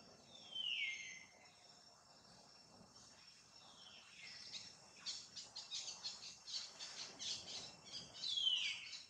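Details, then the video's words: Pregnant monkey mother Jane utters a falling high squeal, then a run of quick scratchy clicks, and ends with another shrill downward squeal. "MONKEY SOUND"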